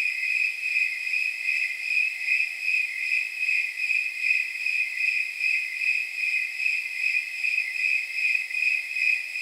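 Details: High, bell-like chirping of snowy tree crickets on a warm night estimated near 79 degrees, evenly spaced pulses about two and a half per second, steady throughout with no other noises.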